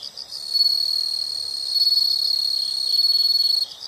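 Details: Unbroken shrill insect trilling, high and buzzy, holding almost the full length with slight swells in loudness.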